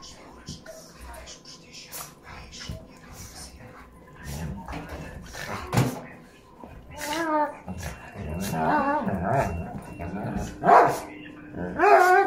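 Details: A 5.5-year-old European male Doberman playing with a small Chihuahua mix. Quiet scuffling at first, then wavering high whines and short yelps in the second half, mixed with people talking.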